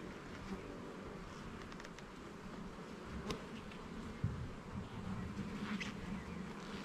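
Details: A busy hum and buzz of many bees fills the air during a garden hive inspection, with the frames checked one by one. The drone is low and continuous, broken by faint taps and one sharp knock.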